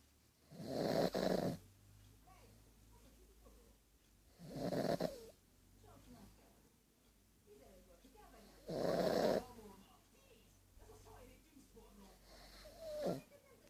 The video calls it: Snoring pug Bijou